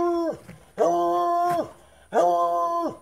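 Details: A Treeing Walker Coonhound, excited after running out of food the night before, gives three rich, sustained howls, each dropping in pitch at the end, as he asks to go for a car ride to the store.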